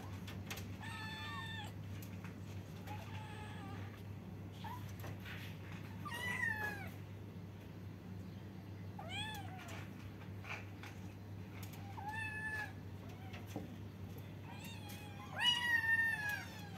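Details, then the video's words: Kittens meowing at the same time: clustered bursts of high, wavering meows every couple of seconds, some stacked and overlapping, over a steady low background hum. "kittens meowing they talking at the same time, cute kittens meow-meow, cats sound"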